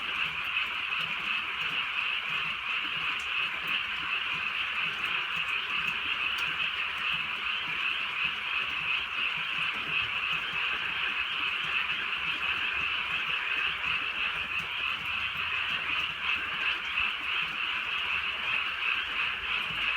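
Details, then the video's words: Drizzle falls on a rural night while a large frog chorus keeps up a constant, pulsing, high-pitched croaking drone. It holds steady for the full length. "개구리 소리"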